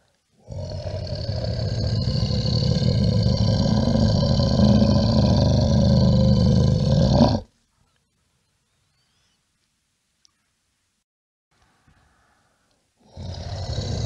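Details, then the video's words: A bear's single sustained roar, deep and grating, holding steady for roughly seven seconds before cutting off into silence, then another roar beginning. "Le son de l'ours, le son d'un ours"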